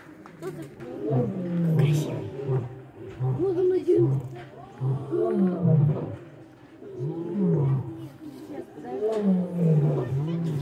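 A lion gives deep, moaning roars, each a low rising-and-falling groan repeated every couple of seconds.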